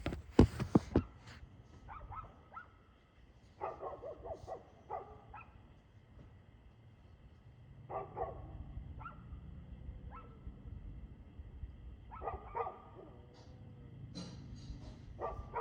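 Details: Dog barking, recorded 2/6/2024 at 6:02 pm: a loud thump at the start, then short bursts of harsh barks at about four, eight, twelve and fifteen seconds, separated by quiet gaps over a low background rumble.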